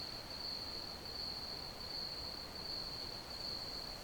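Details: Steady shrill cricket chirping, a high trill pulsing roughly 80 times per minute, set against an even wash of background hiss.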